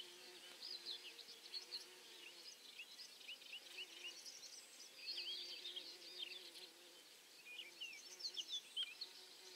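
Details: A bumblebee's low, steady humming buzz rises and fades beneath lively chirping birdsong as bees and bumblebees forage on perforate St John's wort flowers.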